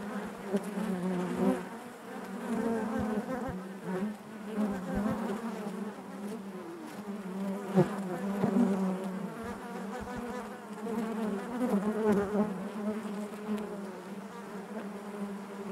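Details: Honey bees buzzing inside their hive: a dense, steady hum with a low drone and stacked overtones, swelling and easing in loudness, with occasional brief clicks and bumps as bees move about.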